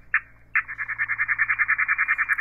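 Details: A male katydid (bush cricket, Tettigoniidae), in the daytime on September 9th near summer's end in the countryside, stridulates: a short buzzy burst, then a steady train of rapid, evenly pulsed rasping chirps, its long series.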